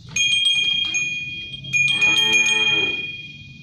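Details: Traditional pegon cart drawn by shod sapi londo cattle: bright ringing bells jingle throughout, with a deep, buzzy moo swelling in the second half amid the chiming.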